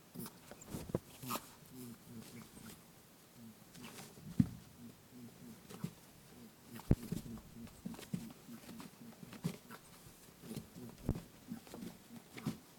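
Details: Indoor lop-eared rabbit at play, pursuing its friend Pooh with a steady stream of deep, muffled 'boo-boo' honks, pulses following one another rapidly, broken by sharp knocks and footfalls. Recorded using a TASCAM DR-07X.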